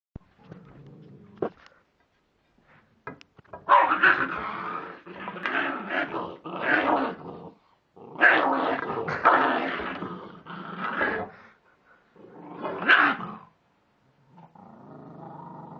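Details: A nice-natured West Highland White Terrier gives rough, rumbling growls in uneven bursts of one to three seconds with short breaks between them. Softer, lower grumbles open and close the sequence.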